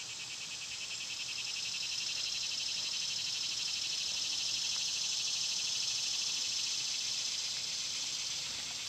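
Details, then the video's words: Loud summer cicadas produce a dense, pulsing high buzz that rises after the first second and holds steady to the end. "Cicada sounds"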